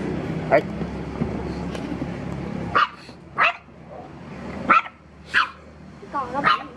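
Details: Dog reacting to a stranger, running and barking: five sharp, loud barks spaced irregularly over about seven seconds, with a low background hum and faint voices between them.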